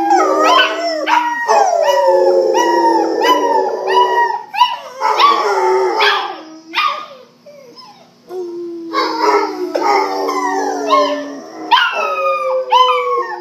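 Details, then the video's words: A group chorus from three pet Rottweilers: dense, loud overlapping howls with sliding, wavering upper voices over steady lower notes. The chorus fades into a near-quiet gap halfway through, then swells back into full howling. "Howling Rottweilers"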